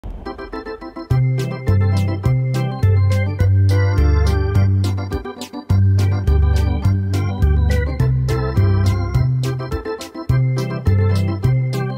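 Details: Steady organ and keyboard music with a regular beat and sustained low chords, with no animal voice anywhere.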